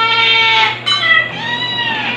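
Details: White kitten Stuart, two months old and nursing from two mother cats, lets out a long, loud, high wavering cry with a short break near the middle, filling the whole moment.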